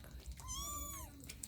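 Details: Domestic cat in the morning, indoors, one clear drawn-out meow rising slightly then falling away, rich in harmonics, with faint room noise behind.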